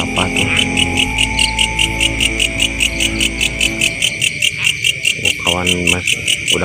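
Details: At night in a rice field during a grasshopper hunt, a cricket chirps in a steady, shrill, rapidly pulsed trill, with people talking nearby; cricket.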